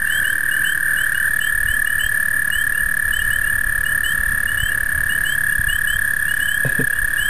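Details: An overly amorous American toad in the breeding season, attempting amplexus with anything, gives a long, steady, high musical trill that runs unbroken through the whole recording.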